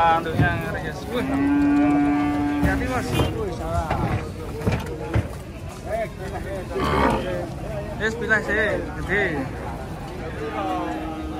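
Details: Bulls rampaging while being unloaded from a truck: one long, steady, resonant moo holds for about two seconds, followed by shorter bellows and a final sustained low moo, over constant crowd voices and clatter.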